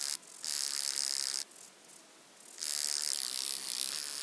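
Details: Wing-buzzing toothed grasshopper, Stenobothrus rubicundulus, at Mala Ucka, Croatia, 26 July 2023: high, hissing buzz bursts of about one to one and a half seconds separated by quieter pauses, no other sounds.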